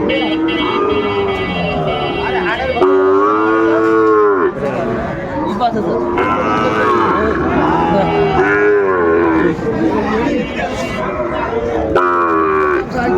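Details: Sahiwal bull calves being traded at a Manikganj cattle market, Bangladesh, 30 December: repeated arched, tonal bawls from more than one calf every few seconds amid constant crowd talk and bargaining voices.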